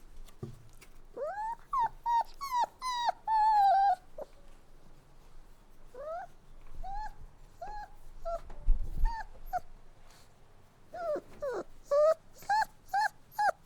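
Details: Puppy whimpering in irregular bursts: rising and falling cries, a long wavering whine, a quieter middle section with faint low rumbling, then a fresh run of sharp, evenly spaced yips.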